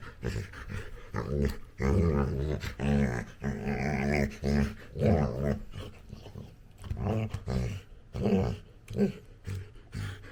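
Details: Playful Labrador Retriever puppy with its owner, grumbling and growling in repeated low, harmonic bursts over ten seconds, some wavering and whiny, with brief gaps between bursts and quieter short grunts toward the end.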